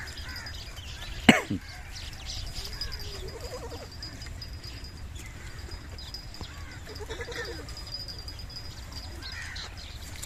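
Young Beetal goats give soft, wavering bleats, with a sharp knock early on.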